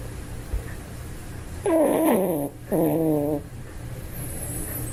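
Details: A toy poodle snores while sleeping soundly: two drawn-out, nasal, tonal breaths, each sliding downward in pitch and lasting under a second, separated by a short pause, over a steady low indoor hum.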